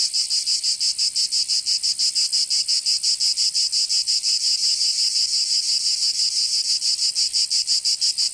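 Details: Provençal cicadas in summer, southern France: an intense, metallic high buzz beating in quick even throbs about three a second, constant in volume, nothing else audible.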